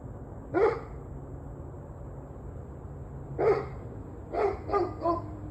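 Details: Dog gives one bark, pauses nearly three seconds, then barks again followed by a quick run of three shorter, yelping barks over low background hum; recorded the evening of 21 November 2023.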